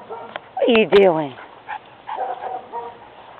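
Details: Pet dog Baz, playing after seeing dad pull up, gives a quick pair of high, whining yelps that slide downward, followed by quieter murmurs and voices.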